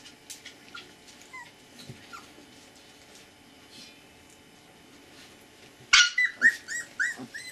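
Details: Siberian Husky puppies, 20 days old, born 16 February to Gau and Arkan, recorded 8 March: after quiet faint squeaks and clicks, a burst of loud harmonic yelping whimpers comes in quick succession, rising then dropping in pitch.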